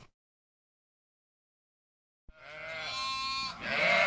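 After about two seconds of quiet, a sheep lets out a strong, quavering bleat. The nasal, trembling cry holds steady, dips briefly, then swells again at the end.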